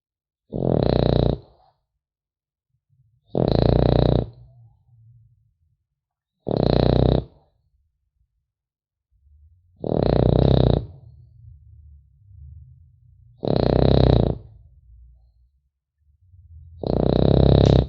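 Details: A French Bulldog puppy snores in its sleep: six harsh, grunting inhalations roughly every three seconds, with soft low wheezy breathing audible in the pauses between them.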